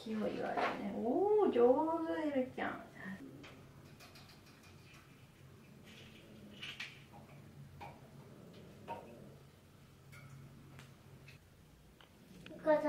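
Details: Resident tabby cat, about five to six months old, menaces a black kitten of about two months on their fourth day of meeting across a cage. A drawn-out, wavering harmonic yowl-growl comes first, then a quiet room with faint rustles and a scratchy noise at the end.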